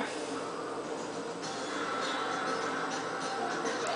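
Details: Television speech and music fill a small room, with a dense steady background and no animal voice heard.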